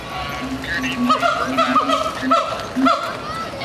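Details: Siamang calling in a rapid run of short, low hoots overlapping with higher, clear, swooping notes. The notes repeat about twice a second against a steady background rumble.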